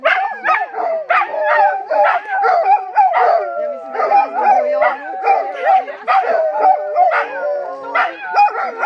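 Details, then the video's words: Rhodesian Ridgeback dogs, two of them, greeting a friend with a noisy howling chorus: dense overlapping yodelling howls and yips that rise and fall continuously, with quick bark-like accents throughout. "Howling Rhodesian Ridgebacks"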